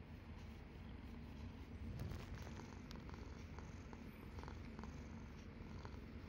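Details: Nana, a 14-year-old red tabby cat, purrs softly while trying out a cat massage product; a steady low rumbling purr runs throughout, with faint clicks and rustles above it.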